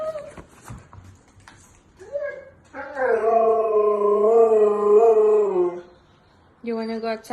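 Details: Siberian Husky indoors voicing his opinion after being asked about going outside: a long, rich, wavering howl lasting about three seconds that slowly sags in pitch, preceded by a person talking and followed by a shorter howl.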